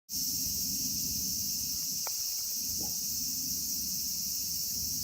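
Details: Cicadas in Kitatama District, Tokyo, Japan, where Platypleura kaempferi, Graptopsaltria nigrofuscata and Hyalessa maculaticollis sing, hold a steady, unbroken high hissing drone with no pauses, over a low rumble; a brief faint click and a short soft note cut through midway.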